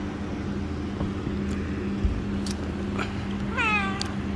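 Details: Pet cat meowing once, a short falling meow near the end, after a stretch of steady low hum, faint knocks and a thump, with a person speaking Hindi just before and after.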